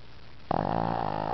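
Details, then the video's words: Tank the pet dog snoring during a deep afternoon nap: after a quiet start, one rough, buzzing snore begins abruptly and holds steady with a rattling, vibrating texture to the end. "Tank REALLY snoring"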